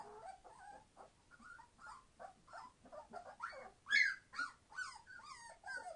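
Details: Several 21-day-old Entlebucher Mountain Dog puppies, born 26 September 2015, whimpering and squealing in a steady stream of short, bent cries, with a louder shrill burst midway.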